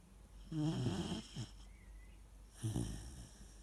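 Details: Sleeping Weimaraner puppy gives two low, rattling snores, one long and gravelly followed by a short snuffle, then a second rumbling snore about two seconds later, in a quiet room.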